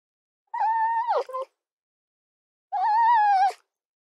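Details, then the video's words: Two drawn-out, steady whining calls from a fox, the first ending in a sharp downward break, the second held level for nearly a second, separated by a two-second silent gap. "Mesmerizing 15-Minute Fox Soundscapes"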